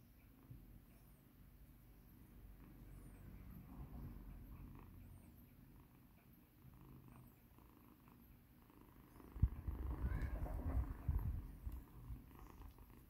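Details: Formerly battered rescued kitten Mikan purring during a massage; continuous low rumbling purr throughout, growing louder and more textured near the end amid rubbing and handling noise.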